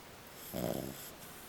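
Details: Sleeping female French Bulldog, a small dog, giving a single short, rough, throaty snore lasting under half a second in a quiet indoor setting.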